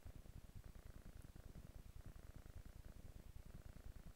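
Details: Low continuous purr from a kitten resting on a couch, pulsing rhythmically about twice a second in a quiet room.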